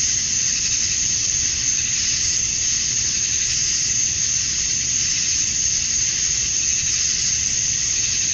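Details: Cicadas at summer dusk in Georgia, USA, males calling to attract females; an unbroken, shrill buzzing wall of sound stays level for the whole stretch, with only slight swells in intensity.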